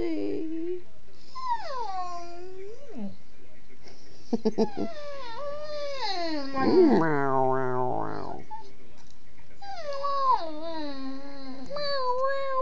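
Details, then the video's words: Bella the dog 'talking' with her owner: a long series of drawn-out, wavering whines and yips that slide up and down in pitch, with brief clicks between phrases and a person coaxing her on. "Talking with Bella the dog"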